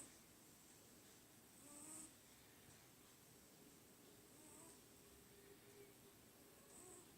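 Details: Munchkin, a sleeping pet cat, snoring softly indoors: faint, breathy swells rise and fade at uneven intervals of a second or two, the strongest near two seconds, over a steady background hiss.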